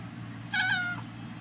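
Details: Indoor pet cat giving one bright, short meow, steady and slightly wavering in pitch, over a constant low hum.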